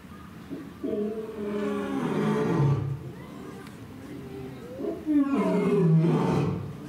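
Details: Young male lion in a zoo paddock at Asahiyama Zoo, Asahikawa, Hokkaido, Japan, on 26 September 2023, patrolling and standing on a rock. Two deep, moaning roars with strong harmonics, each swelling then sliding lower, separated by a quieter pause.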